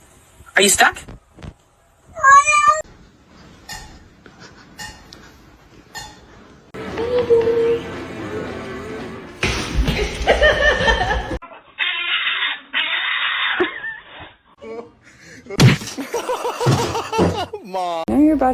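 A kitten gives short, rising meows between bursts of human speech and music.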